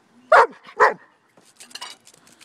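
A German Shepherd gives two loud, deep barks about half a second apart.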